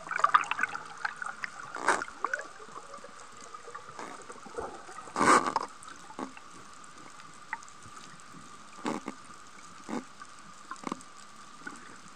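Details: Humpback whales singing underwater off Sokodo coast, Hachijō-jima, Japan, 22 February 2020 between 11:30 and 16:00, sunny with strong southwest wind, among a large school of surgeonfish; a sustained high tone runs throughout with faint sweeping notes and scattered clicking, bubbly bursts.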